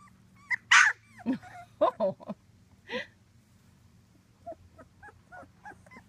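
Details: Whimpering and yipping from two-week-old British Labrador Retriever puppies, a litter of six born June 2015: a loud squeal, several sharp yips, then softer, rapidly repeated little whines trailing off.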